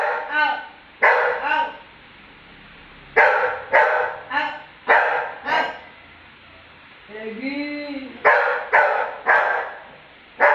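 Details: Labrador dog that would not tolerate being mocked, answering with bursts of short harmonic barks and yips, a wavering whine in the middle, and human speech mixed between the calls.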